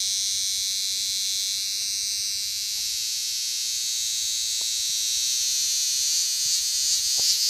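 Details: Large green cicada calling in Lancaster County, Pennsylvania, August 18, 2016: a continuous high-pitched drone that swells slightly toward the end, with a couple of faint clicks.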